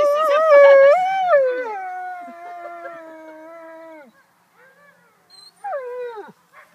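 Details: Female wolf howling during a walk with wolves in Bedfordshire, calling to tell her sister she was okay and just going for a walk. She gives one long, smooth, steady howl of about four seconds, then a shorter howl that drops away at the end.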